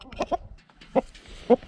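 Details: Bacon May, a two-year-old female Pixie Pig wearing a GoPro camera, gives three short, low grunts: two close together near the start, then single grunts about half a second apart.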